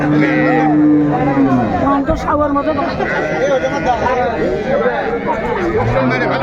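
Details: At the Raniganj cattle market, Dinajpur, Bangladesh, a dairy cow or calf of an improved breed gives a deep moo that sinks in pitch as it ends, and another low moo begins near the close, with men bargaining throughout.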